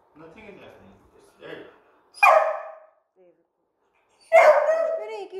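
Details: Very young beagle puppy, scared of a remote control car it is meeting for the first time. Soft human talk comes first, then two loud, harsh, scratchy barks about two seconds apart.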